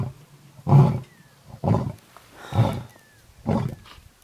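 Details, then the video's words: Male lion communicating with his brothers nearby during lion tracking: a series of four short, deep, grunting roars spaced about one second apart, each booming then fading, in quiet open surroundings. "Lion Tracking - Communication"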